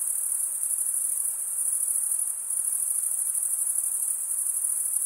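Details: A nighttime chorus of crickets in a summer forest, a shrill, pulsing high-pitched drone running without pause, softening slightly for a moment midway.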